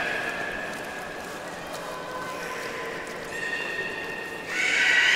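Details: Beluga during a pool transfer at Port of Nagoya Public Aquarium, 11 August 2018, after an attempted exchange of Nana and Hodoi; long, steady, faint tonal whistles throughout, ending in a sudden loud bright squeal, with hiss behind.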